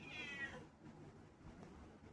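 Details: A pet cat gives one short, tonal meow lasting about half a second, fairly high with stacked overtones, then quiet indoor room sound with a faint low rumble.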